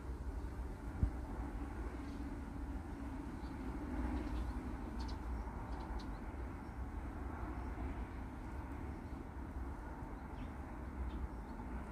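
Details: Steady low outdoor rumble like distant traffic, with no animal calls.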